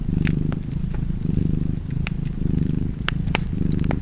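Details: Low, even purr of a cat rising and falling in regular breath-paced waves, accompanied by scattered snapping crackles of a fireplace.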